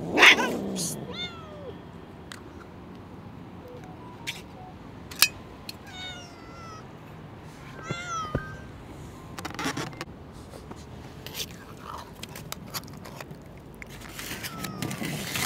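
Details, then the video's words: Hungry stray cat fighting off other cats to keep a fish head it found in the garbage; several clear harmonic meows rising then falling, a cluster near the middle, with sharp knocks and rustling between calls. "The hungry cat is fighting not to give the fish he found from the garbage to anyone."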